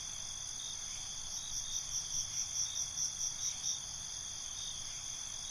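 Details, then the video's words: Crickets chirping at night: a steady high shrill drone with a pulsed chirp train of about ten quick beats rising through the middle, over faint low background rumble. "Night ambience, Cricket Conversations"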